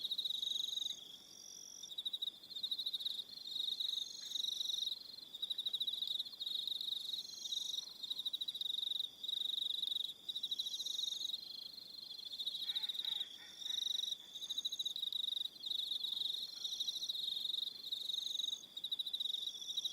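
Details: Evening crickets on Aroha Island, New Zealand, a steady high pulsed chorus in regular bursts with brief gaps, multiple callers layered, and a short lower rattling call near the middle.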